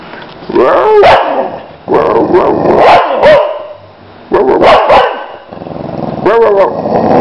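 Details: A Boxer dog called Lila gives repeated throaty barks and howling woofs in bursts, some with rising and falling pitch, roughly four separate volleys over seven seconds, a person's voice faintly nearby.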